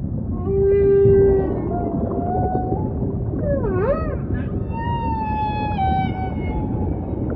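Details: Several humpback song units in sequence against ocean ambience: a loud steady low tone, a thin level whistle, a quick wavering up-and-down warble, then a long, slightly falling harmonic moan.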